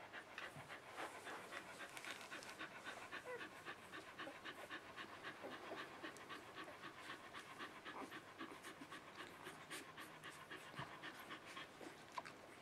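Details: Puppies only three days old pant quickly and softly, roughly three to four breaths each second, in a loose, uneven rhythm that carries on through the recording over low background hiss.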